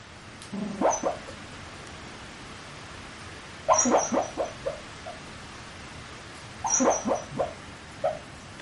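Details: Sleeping dog muttering, filmed close up on a Canon PowerShot SX30 IS: three bursts of soft mumbled whimpers and grunts about three seconds apart, each a quick run of short vocal syllables over a faint steady hiss.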